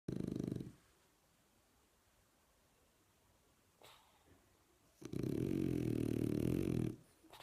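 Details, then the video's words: A French Bulldog snoring indoors, two long rattling snore breaths, one at the start and a longer one near the end, separated by quiet breathing. "Französische Bulldogge schnarcht"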